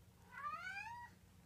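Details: Munchkin kitten, 24 days old, indoors: a single thin high meow that rises steadily and then drops off at the end, with faint room hum beneath.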